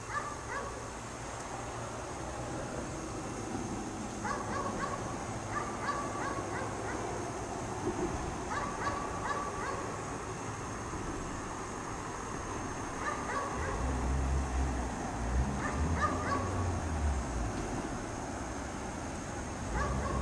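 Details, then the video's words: Chained dog left outdoors in snow all day, barking repeatedly from a distance in groups of two to four sharp barks separated by pauses, with low rumbling background noise and a steady high whine. "Dog Barks all day in the snow"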